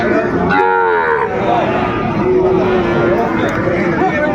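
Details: At Aftabganj market in Dinajpur, Bangladesh, where Sahiwal bull calves are sold on 2 September 2025, a short moo is followed by a second, longer flat moo, set against a murmur of traders' voices.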